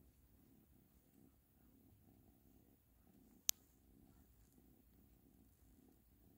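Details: Ashley the cat purring softly, a faint low rhythmic rumble pulsing steadily throughout, broken by a single sharp click midway in an otherwise quiet room.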